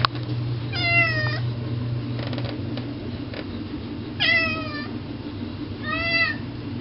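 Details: Garth, an indoor cat, meowing at the front door because he wants to go outside to eat grass; three drawn-out, slightly falling meows spaced a few seconds apart, with faint tapping and a steady low hum indoors.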